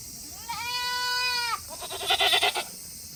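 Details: Tokara goat on a Himi, Japan farm on a hot August day, waiting to go back to its shed; one steady, even-pitched bleat lasting about a second, followed by a rapid stuttering, trembling bleat.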